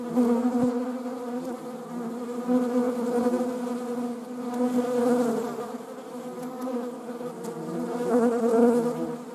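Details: Several honeybees, recorded with wasps nearby, give a low, rich buzzing drone that rises and falls in roughly two-second swells, with no other sounds standing out.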